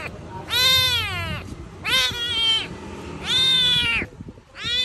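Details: A hungry cat gives loud, drawn-out meows, each lasting about a second and repeated roughly every one and a half seconds, strongly harmonic and slightly rising then falling, with faint low rumble beneath.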